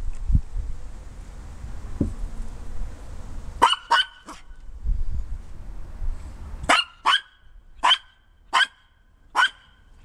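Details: Maltese Harry on the deck barking toward LeLe and Stella in the wet backyard grass, perhaps asking them back up: low rumbling noise first, then a burst of three barks and a run of five evenly spaced sharp barks.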